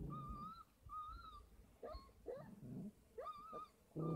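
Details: Thirty-three-day-old Kangal puppies on a dog farm whine in long steady tonal cries, some bending upward, repeated about every half second, over low scuffling.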